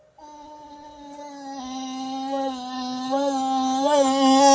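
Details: Vinny, a pet dog, producing an odd sustained moaning howl indoors, a steady harmonic tone that grows louder and wavers slightly near the end.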